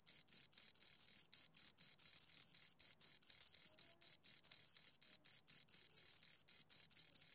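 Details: Two crickets chirping close up: a high, dry trill of short pulses broken by brief gaps, a shrill tone with a fainter higher overtone, bursts running together irregularly, no other sounds.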